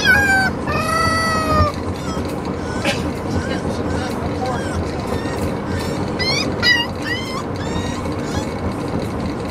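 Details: Neptune, a Corgi puppy, yodels during his first car ride home; a long wavering howl opens, followed by shorter rising-and-falling whines near the end over constant engine and road noise.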